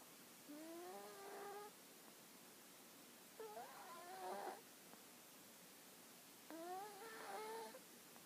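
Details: Sleeping dog Hana snores in three nasal, whistling breaths about three seconds apart, each a rising tonal squeal with rough, breathy texture toward the end, against low steady background hiss.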